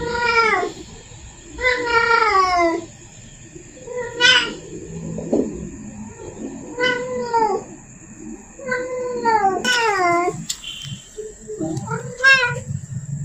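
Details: A female cat in heat, calling so the male comes near, repeats short, downward-curving yowls about every one to two seconds, with a few longer wails, in a quiet indoor room.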